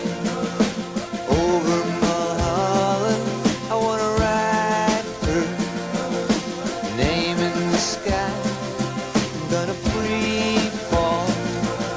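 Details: Rock music with singing, guitar and a steady drum beat throughout.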